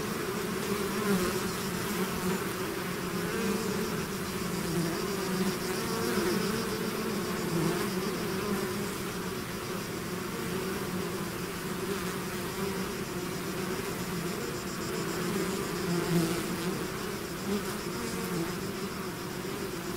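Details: A hive's swarm in flight, heard as a dense, constant, low buzzing drone from many bees, gently rising and falling in intensity over twenty seconds.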